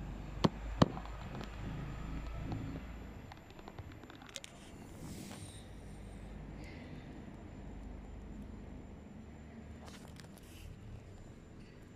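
Low rumbling background noise with a few sharp clicks and taps, and no animal calls.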